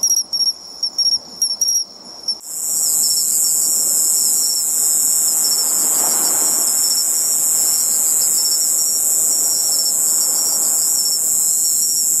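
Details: Bell cricket singing by the seashore, searched for by ear: after a few short broken chirps, a continuous high shrill ringing sets in and holds steady, with a louder band above, over faint low background rustle.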